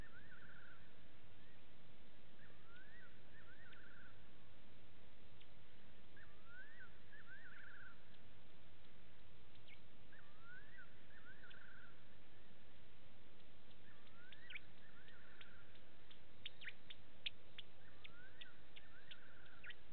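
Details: At a Sabi Sand waterhole in South Africa, Gowrie dam on Djuma Game Reserve, a side-striped jackal calls at 02:27 on 15 September 2018: a wavering rising phrase repeated roughly every three and a half seconds, five times, with faint clicks late and steady hiss.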